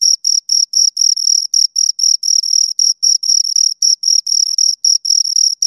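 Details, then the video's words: Close-range chirping of two crickets: sharp, high trilled bursts in quick succession, around four each second, slightly uneven in length, in otherwise quiet surroundings. "Two Crickets Chirp Sounds"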